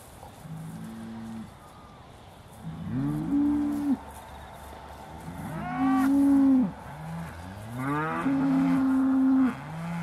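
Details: Herd of Aussie Red dairy cows, Beaulands, December 2012, calling just before milking: repeated overlapping moos building in loudness, several with sliding pitch and strong harmonics, roughly every two seconds.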